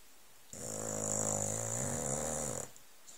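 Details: An old Staffordshire Bull Terrier, lying on cushions on a settee under a blanket, gives one long, low, rattling snore lasting about two seconds.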